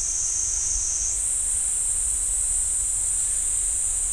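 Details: Cicada chorus in the pine woods of Ssanggyesa temple, Jirisan National Park, South Korea: a continuous shrill hiss that shifts slightly higher after one second and then holds steady, with soft low background rumble.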